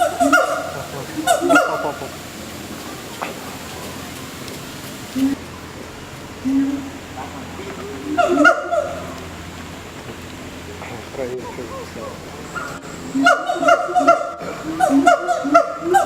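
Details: Gibbons in Singapore Zoo calling in bursts of loud, harmonic hoots at the beginning, middle and end, with quieter stretches of people talking nearby between the outbursts.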